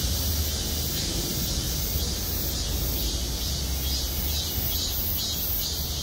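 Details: Cicadas in trees over the Gwangmyeong City Hall parking lot, their high buzzing now throbbing in regular pulses about twice a second, accompanied by a steady low engine-like hum.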